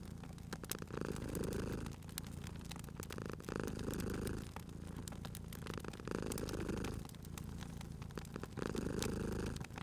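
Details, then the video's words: Sleeping cat purring at a crackling fireplace: steady low vibrating purr, louder on alternate breaths roughly every two to two and a half seconds, with frequent sharp wood crackles in the background. "Cute Purring Cat at a Crackling Fireplace"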